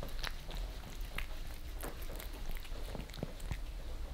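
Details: Creamy treats being licked off a glass table by two cats, Lissy (Maine Coon) and Fritz (British Shorthair), in Germany, captured from below; steady wet tapping and smacking, uneven in spacing, against low background hum.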